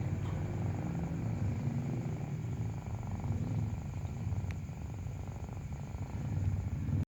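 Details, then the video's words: Breastfeeding kitten purring steadily, a deep rhythmic rumbling throb lasting the whole time, with one brief sharp click near the middle. "Breastfeeding kitten makes a purring sound"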